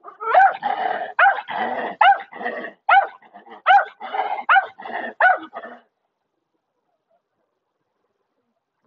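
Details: German Shepherd dog barking in a quick, fairly steady run of about a dozen whiny, yodel-like barks over six seconds, then silence.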